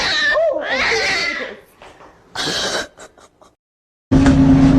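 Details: Domestic cat giving a pair of arched, harmonic meows over about a second and a half, followed by rustling noise, a brief pause, then a steady humming music tone.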